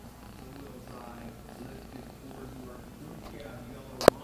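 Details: Tabby kittens, brothers almost five months old from a feral litter, purring in a steady low rumble, with human voices throughout and a sharp knock at the very end.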